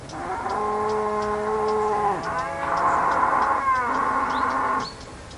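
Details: Cow mooing on a farm: one long, steady, strongly harmonic low moo breaks into a rougher, louder bellow that bends downward, with faint bird chirps behind.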